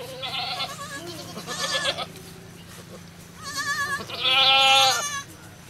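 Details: Goat giving birth at a cow farm bleats repeatedly, short wavering cries early and a long, loud, shaky bleat near the end, with a low steady hum throughout.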